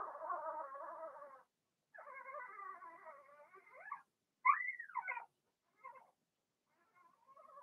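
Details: Cavalier King Charles Spaniel puppies, Blenheim colouring, Remy's litter indoors in a puppy pen; sustained wavering whines in two long stretches, followed by an arched rising-falling yelp and fainter squeaks.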